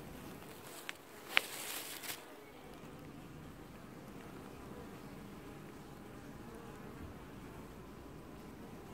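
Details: Apiary honey bee colony washboarding at its hive in early July 2019; a brief crackling rustle near the start, then a steady low buzzing drone.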